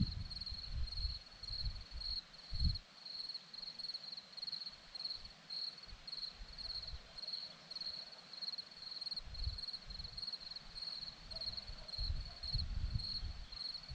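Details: Hillside crickets at Zorlesti, Romania, give a steady run of short high-pitched pulsed chirps, evenly spaced and unbroken across the recording, with occasional soft low thumps and rumbles beneath.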